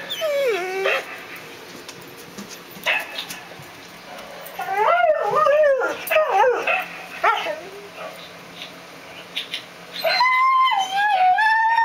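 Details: Howling mutt: drawn-out tonal howls that waver and fall in pitch, broken by short yelping notes, ending with a long, steady, high howl. Faint background noise throughout.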